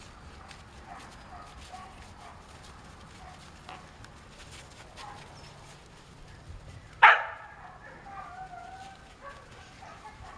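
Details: Samoyed puppies, eight weeks old, from the Rhodes x Azure litter born 10 January 2015: faint whimpers, then one sharp, loud yip near the middle, followed by a few quieter thin whines against low background noise.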